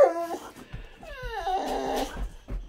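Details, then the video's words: A Boxer dog, indoors, whines and 'talks' with short, high, wavering cries that slide downward, while a man speaks in the background. "Funny Talking And Whining Boxer Dog"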